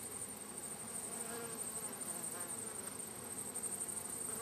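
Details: Colony of wild bees in a crack, the hive covered at both ends by wood plates; a thick, even hum of many wings with gently wavering pitch and a steady thin whine above.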